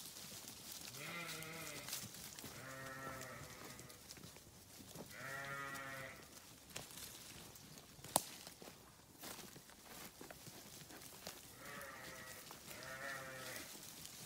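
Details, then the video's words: Sheep grazing on a farm give several wavering, nasal bleats in pairs, with gaps between, a sharp click near the middle and steady low background noise. "Sheep Video | Sheep Grazing | Sheep Farming | Sheep Sound"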